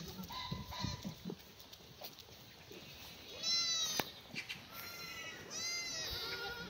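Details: Black goats grazing free-range on a mountainside farm in Gimhae, Korea, one clear sunny May morning; a few thin, quavering bleats rise over soft background noise, louder toward the end.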